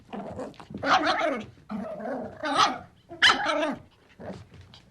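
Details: Baby puppy growling in four or five drawn-out, throaty, snarling bursts that rise and fall in intensity, rough and noisy throughout, with short breaths between.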